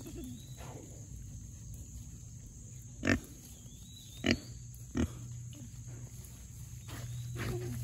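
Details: Young Mangalitsa pigs, four of them, rooting through forest soil after heavy rain: low rumbling grunts under a few sharp louder snorts or thumps near the middle, plus faint high bird chirps.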